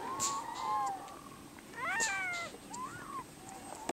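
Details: Harp seal shown with watery eyes and a sniffling nose, giving several short wavering wails that rise and fall, one breaking into a fuller, rising-then-sliding cry, against a quiet hiss.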